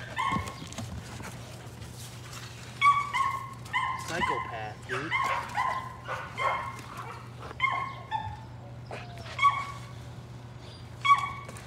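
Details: Excited Patterdale Terrier puppies, among them little black female Cricket, hunting rats in their pen yelp repeatedly in short, ringing, tonal barks scattered across the whole stretch, with people talking and a steady low hum behind.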